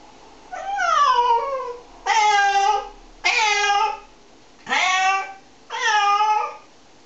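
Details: Domestic cats meowing while being shampooed, one of three cats washed; five loud drawn-out meows with falling then level tone, spaced about one to two seconds apart, in a small indoor room.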